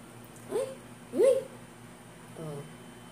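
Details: Princess, an adopted pet Persian cat, gives two short rising meows about half a second apart, then a softer, lower drawn-out call, indoors with faint room hum.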